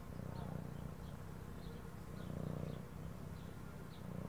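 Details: Continuous low, buzzing throat purr of a house cat, even and unbroken, with light background music and faint repeated high twinkling notes.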